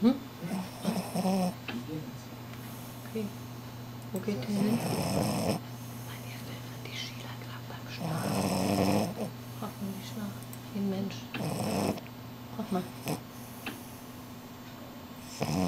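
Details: A sleeping French Bulldog, Shila, snores like a human during her midday nap, in loud, rasping breaths every few seconds over a steady low hum.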